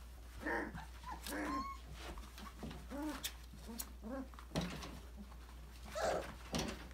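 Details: Playing in an enrichment playground, five-week-old Australian Labradoodle puppies of Autumn's December 2020 litter give a rapid run of squeaky yelps and a rising whine, followed by louder yaps, with bumps and clatter between calls.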